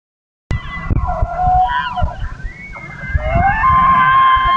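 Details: An elk herd bugles as darkness falls: high, eerie whistled tones that rise and hold, over low rumbling grunts.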